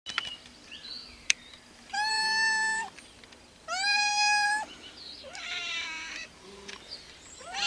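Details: Feral cats waiting for food, several meows heard: two long, flat harmonic meows around two and four seconds, then a wavering, rising-and-falling meow near five seconds and a short rising call at the end; faint clicks between.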